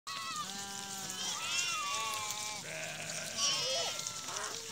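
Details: Sheep from Rukum East returning to their shed after grazing in the forest, at Musikot municipality ward 7, Rukum West, Nepal: several wavering, nasal bleats overlap one after another, some high and quavering, some lower and drawn out.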